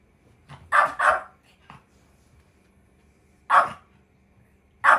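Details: Chihuahua named Kohaku, angry when someone tries to go back to the room, wanting to keep the beloved daughter from leaving; sharp high barks, a quick double bark then single barks spaced a few seconds apart, quiet indoors between.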